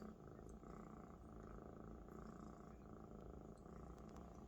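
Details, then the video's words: Purring Maine Coon kitten resting on a large adult Maine Coon; a close, continuous low rumbling purr, even and unbroken, with faint ticks above. "A Big Friend Is the Best Bed for a Purring Kitten"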